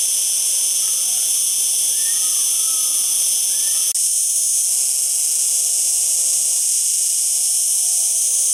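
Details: Cicada singing: a continuous, steady high-pitched buzzing drone with strong bands, unbroken for the whole stretch, with a faint click midway and no other clear sounds.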